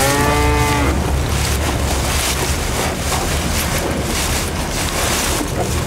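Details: Elephant-grass-feeding bull lets out a short moo of under a second, harmonic and steady, before loud rushing broadband noise, like wind or rustling, fills the rest of the recording.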